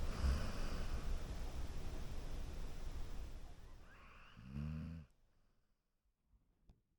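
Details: Golden Retriever sleeping on a couch, giving one low, vibrating snore about halfway through after several seconds of soft, steady breathing, followed by near silence.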